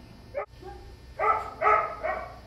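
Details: Border Terrier puppy Busy, 11 weeks old, clicker trained to jump into his bed for a treat; a short sharp note, then three bright, harmonic yapping barks in quick succession over about a second, indoors.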